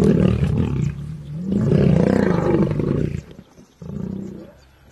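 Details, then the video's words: Fighting lions give continuous low, gravelly growls swelling into a loud harsh roar, then a brief gap and a quieter final growl. "Lion vs Lions"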